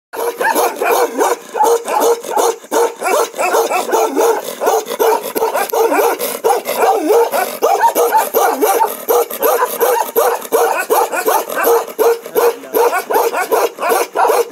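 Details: A Ladakhi Bakarwal, a livestock guardian dog breed of Jammu and Kashmir, gives a "one-breath bark": quick, deep bursts strung together in a single breath.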